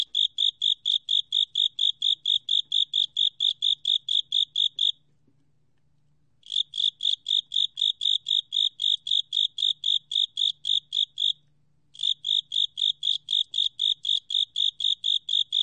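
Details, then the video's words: Japanese burrowing cricket song from a 2020 National Institute of Biological Resources recording: bright, high chirps pulsing rapidly in long runs, broken by two short silences, then resuming at the same steady rate. "극동귀뚜라미, 여러번 듣기, 곤충소리"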